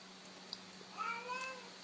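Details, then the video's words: A domestic cat gives a single drawn-out meow, bending up then gently down, as a greeting in reply to a person saying hello, in a quiet indoor room with a steady low hum. "Funny Cats Saying Hello"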